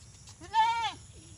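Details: Desi goat giving a single loud bleat, a wavering, nasal, harmonic-rich cry lasting about half a second, rising slightly then falling away, over faint low background rumble.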